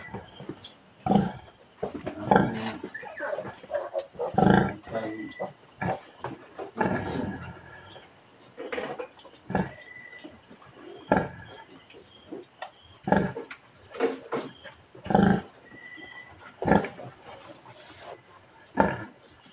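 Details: A sow farrowing on a Philippine pig farm, recorded 18 March 2024; loud broadband grunts and squeals come in irregular bursts every second or two, with scattered thuds and a man talking in Tagalog.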